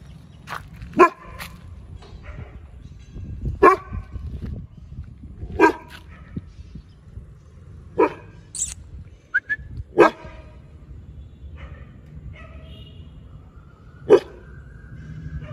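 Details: Rambo, a Rajapalayam dog, barking at a stranger coming into the street: loud single barks spaced roughly two seconds apart, about six in all, with a faint whine near the middle and low background hum.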